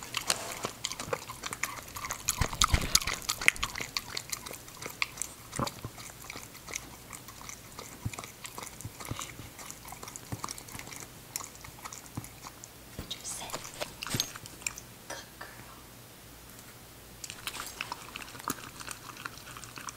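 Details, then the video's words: Puppy eating show: Ginger, a female English Cocker Spaniel, crunches food in dense, rapid bites, loudest early, with short quieter pauses between bouts of crackly chewing. "ENGLISH COCKER SPANIEL PUPPY EATING SHOW"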